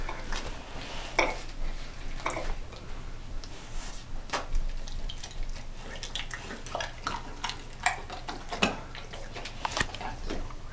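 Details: Dishes and cutlery clatter in a small indoor room, with sharp clicks and scraping and no animal voice.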